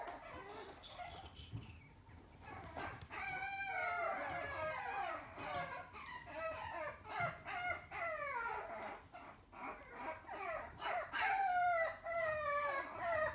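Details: Little apple-head male puppy, shown by a breeder, gives repeated high-pitched whines and squeals, starting after a few seconds of quiet shuffling and then coming in bursts of bending, nasal cries that grow louder toward the end.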